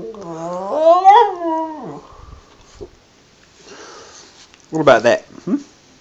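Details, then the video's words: Wilson, a border terrier, singing: a drawn-out, wavering, tonal howl that rises and then falls over about two seconds, a quiet gap, then a short burst of higher, strained yelping notes near the end. "Wilson the border terrier sings again"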